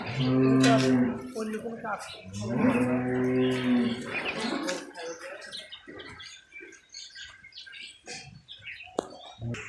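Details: Cattle on a commercial farm giving two deep, drawn-out moos in quick succession in the first few seconds, then fading into quieter farm noise and voices.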